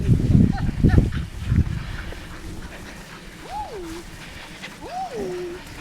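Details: Dogs beside a lake at Lida Nature Reserve on a summer day. Rumbling wind or handling noise, then two separate whines, each rising sharply and sliding back down, a little over a second apart.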